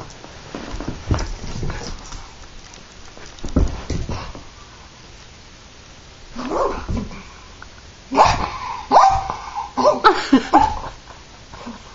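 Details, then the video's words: Terrier throwing a tantrum: after scattered thumps and shuffling, a burst of high, whiny yelps and short sharp barks in quick succession toward the end, over steady background hiss. "Terrier Tantrum"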